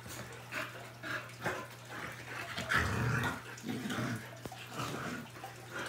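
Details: An American bully and a lab/collie mix romp with their new flirt pole; a low throaty growl swells in the middle of the clip amid scrabbling, thuds and constant background hum.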